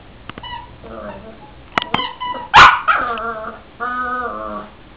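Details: Cavalier King Charles Spaniel; sharp yips and a loud clipped bark near the middle, followed by drawn-out harmonic whines that bend in pitch, with a person speaking faintly.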